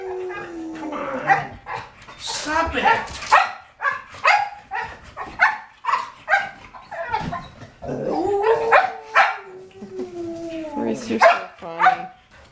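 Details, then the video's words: Several English Springer Spaniels, excited before their walk, let out a rapid run of sharp barks and yips. A long whining tone is drawn out midway, and people talk and laugh over the commotion. "Excited Springer Spaniels. Time for their walk."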